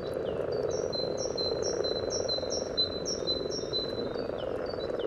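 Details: Chorus of common frogs in mating display at their spawning pond beside the yellow trail, Sunnersta, Uppsala, taken with a parabolic microphone near the water surface; steady low rumbling purr, with a bird repeating short high chirps above.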